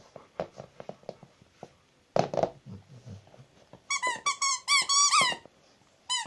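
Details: Domestic Rottweiler Zhenya, indoors, lets out a rapid run of shrill squeaking whines, each bending downward, after soft tapping and a thud; one last short squeak closes.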